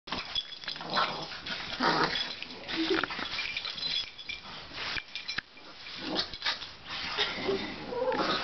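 A Boston Terrier gives snuffly grunts, snorts and soft whines in uneven bursts.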